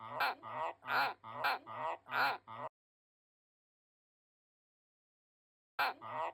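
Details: Harsh, nasal croaks from a finger-biting White's tree frog: five quick quacking notes in under three seconds, then a long silence before one more croak begins at the very end.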